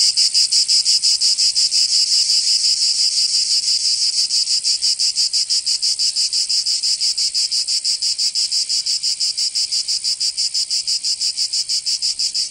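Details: Loud summer song of cicadas in Provence, southern France: an intense high-pitched sizzling drone with regular rapid throbs, strongest at the start and easing slightly, no other noises.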